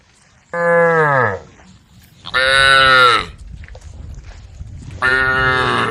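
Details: Group of female cows on a road calling the herd, giving three separate moos about two seconds apart, the first falling in pitch, the later two brighter and harsher.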